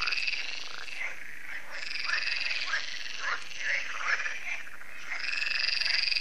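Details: Evening frog chorus at the Lac de Sabatte in France, an annual gathering: loud crowded croaking from many frogs, rapid harsh notes stacked over one another with a continuous buzzing trill running under them.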